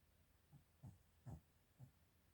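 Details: Sleeping female Mal-Shi dog, a Maltese and Shih Tzu cross named Chiroru, giving soft, low snorting breaths, four short puffs roughly half a second apart in a quiet room.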